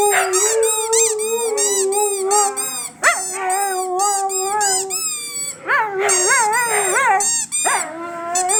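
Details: Pet Siberian Huskies singing along after a squeaky toy sets them off: a long chorus of steady, overlapping howls broken by sharp upward yips and whoops, with two bursts of quick rising cries toward the end.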